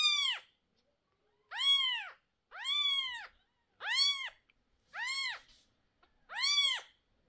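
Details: Cat wailing in a small room as two 11-day-old kittens with sore eyes get their eye drops and the nervous mother reacts. Six arched, high, strained meows repeat roughly once a second, with clean silence between them.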